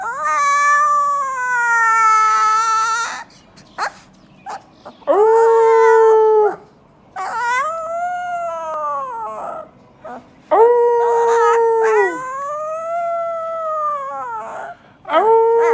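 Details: Puppy howling for the first time: long, sustained, harmonic howls of a second or more, some level and some rising then falling, separated by short silences, with a few brief yips between them.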